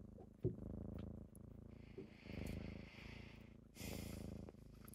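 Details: Morning purring from kittens waking their owner up, a continuous deep buzzing rumble pulsing with each breath, interrupted by brief rustling and a soft hissy noise burst near the end.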